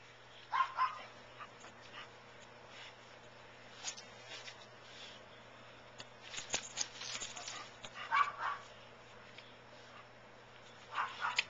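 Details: Chow Chow dog fooling around while playing with a man, giving scattered short gruff growls and huffs in irregular bursts, with rustling and thumping play noises between them.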